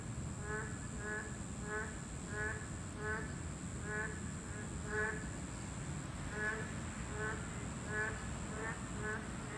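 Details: Boreal digging frogs, a Class 2 protected species, calling at their breeding habitat: several short nasal, harmonic croaks repeated in overlapping pairs and clusters, over low rumbling background noise and a steady high hum.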